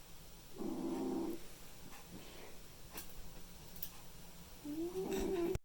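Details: Mimi, a white and ginger male house cat, asleep and snoring: two drawn-out, gravelly, humming breaths about four seconds apart, with near silence and faint clicks between.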